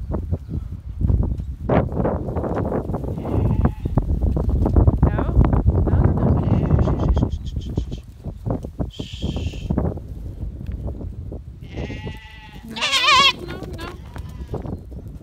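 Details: Goats being herded by a six-month-old stockdog give several wavering, quavering bleats, some high and strained, scattered through a steady rumble of trampling hooves, with a person talking in the background.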